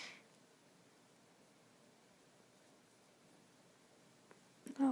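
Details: A quiet room hiss holds almost unbroken, with a short noise at the start and a brief burst of sound at the very end.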